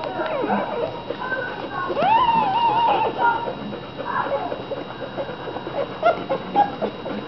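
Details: Litter of fifteen American Bulldog puppies, mostly feeding and sleeping; a clear drawn-out rising then falling whine near the start, followed by scattered squeaks and murmurs from the crowded pups, steady hum behind.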